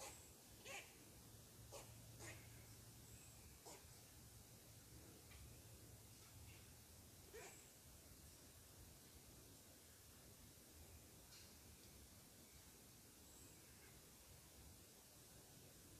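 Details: Squirrel barking in upset at a person sitting on his tree, sharp broadband barks in short, irregular bursts near the start and again around seven seconds, faint against a steady low hum and rustling background.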